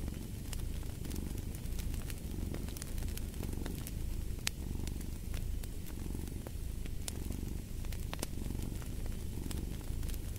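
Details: Domestic cat purring steadily as a deep, continuous rumble with gentle breath-timed swells, mixed with sharp crackles and pops from a wood fire burning in a fireplace.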